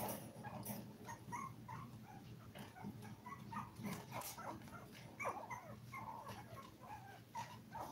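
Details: Toy Poodle puppies at five weeks of age, seven in the litter, make short high squeaks and whines spread through the recording, mixed with bumps and rustling noises over a steady low hum.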